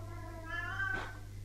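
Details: Male Maine Coon cat in the next room of a house, howling and chattering to itself. Heard faintly from a distance: a single drawn-out, slightly rising meow of about half a second, with a steady low electrical hum throughout.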